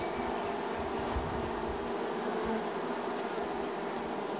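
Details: A dense, steady drone of many honey bees buzzing together in spring, a low humming tone with no breaks.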